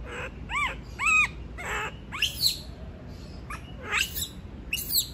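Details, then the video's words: Monkey that does not want to be left alone: a few rising-and-falling harmonic wails, then shriller squeals that climb sharply in pitch, uttered in uneven bursts over faint low background noise. "Sound of monkey scream doesnt want to be alone, suara monyet teriak tidak mau di tinggal sendirian"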